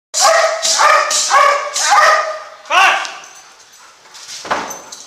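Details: Belgian Malinois named Canto pursuing a suspect in a classroom during bite training; five loud, harmonic barks in quick succession across three seconds, followed by quieter room noise and a sharp knock.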